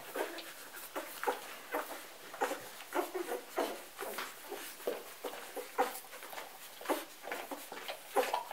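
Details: Golden retriever puppies feeding from their mother after a morning nap, indoors; soft squeaky whimpers and grunts repeated irregularly, several per second, with suckling sounds in a small room.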